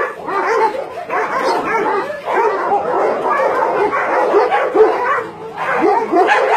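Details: Dogs from a Nonsan, South Korea meat farm and puppy mill housing around 150 animals, January 2017. Dense overlapping barking swells and dips in waves, with brief slight lulls between loud bursts.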